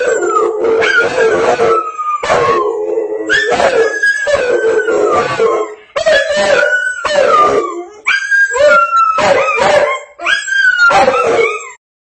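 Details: A Rottweiler howls in long, wavering tones that slide downward, broken by short pauses and yips, howling at a Swiffer TV commercial.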